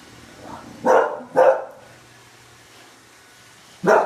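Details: Bulldog Oliver confronting a Roomba, giving a quick pair of sharp barks, a pause, then a single bark, with a faint mechanical hum throughout.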